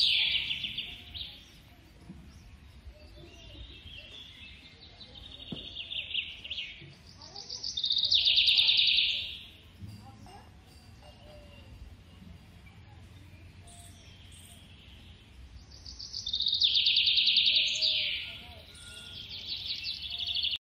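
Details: Feeding-time calls of a baby squirrel: high, rapid chittering squeals rise into two loud bursts separated by a long, softer stretch of faint squeaks, over steady low background noise.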